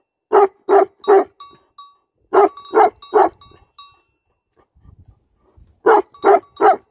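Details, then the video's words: Livestock guardian dogs give three sets of three loud, evenly spaced barks, separated by short silences with a brief low rustle between the second and third sets. "Livestock Guardian Dogs Barking"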